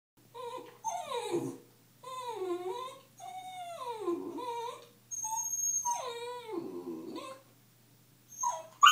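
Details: Puppy named Zippy, a female, reacting to her own reflection in a mirror indoors: a series of high, drawn-out whimpering whines with falling and wavering pitch, four main calls separated by short pauses, a final yelp at the end.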